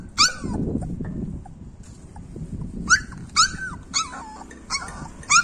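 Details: Hunny, a three-month-old Labrador Retriever puppy, gives short high yelps with falling whine tails. Six bursts arrive irregularly, one early and then a cluster in the second half, over a low rumbling room background.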